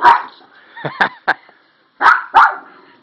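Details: Toy Poodle barking in short, sharp yips, with a quick burst of three and then a pair a second later, while a person's voice asks whether it is scared.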